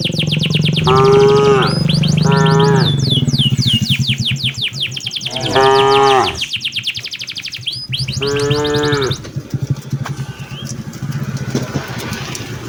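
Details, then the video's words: Four short, rough moos in quick succession as a herder drives tame cattle back toward the farm in the late afternoon, over a low steady rumble and busy bird chirping. "suara sapi lembu berjalan menuju ke arah kandangnya"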